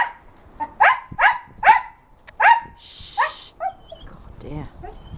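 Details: A male dog, 7 and a half, barks at birds in a garden at 9 am on 6 March 2008: about four sharp, mid-pitched barks in quick succession, then softer ones, with hiss and a person talking nearby.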